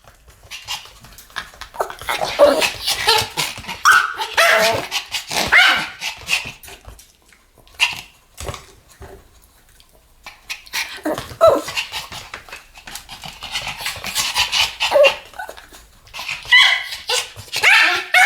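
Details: Pomeranians barking in a duet, a busy, somewhat muffled run of overlapping high yaps and snaps with a brief lull near the middle before the barking picks up again.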